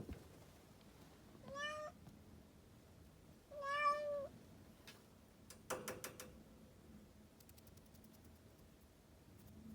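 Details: Kitten meowing to be let outside. Two drawn-out, whining meows, the second louder and longer, each bending up then down, followed by a few sharp knocks or clicks in a quiet room.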